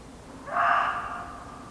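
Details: Muntjac deer barking in an English nature garden: a single short, harsh bark with abrupt onset and a fading tail, standing out over a steady low background hum.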